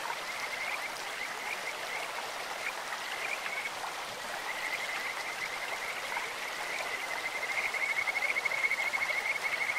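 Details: Stream-dwelling Kajika frogs, faint high notes early, then a clear rapid trill building over the last three seconds above the constant hiss of flowing water.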